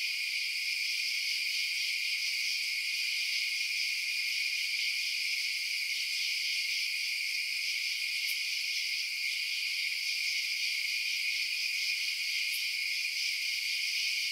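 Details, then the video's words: A constant high ringing chorus of crickets at night, unchanging in loudness, with two faint brief clicks partway through. "Night Sounds Crickets Chirping"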